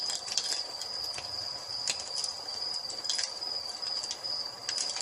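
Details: A constant high cricket trill at dusk mixed with fireplace ambience; brief crackling snaps from the burning fire punctuate the even insect tone.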